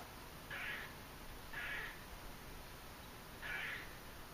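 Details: A squirrel in Margate, New Jersey, on October 28, 2012, the day before Hurricane Sandy, gives three short, nasal, mewing calls spaced irregularly about one to two seconds apart.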